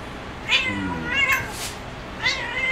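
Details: Domestic cat playing on a cat perch, uttering three quick harmonic meows in under three seconds, each short with a bent, wavering pitch, with a breathy noise between the second and third.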